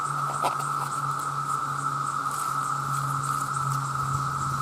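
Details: Vast numbers of male cicadas sound their loud mating call, an unwavering mid-pitched drone running without pause, with a low steady hum underneath and a few faint clicks early on.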